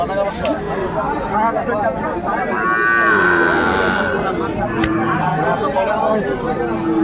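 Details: At a Bangladeshi cattle market on 24 February 2025, an eight-month-old Sahiwal bull calf lows midway through with a sustained, tonal moo, surrounded by crowd noise, talk of prices and occasional knocks.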